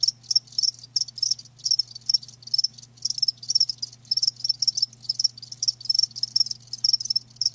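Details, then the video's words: Live crickets chirping loudly, bright high-pitched pulsed chirps repeated in rapid clusters with brief gaps, several callers overlapping, a soft low hum beneath. "Live Crickets 60min "Natural Sound""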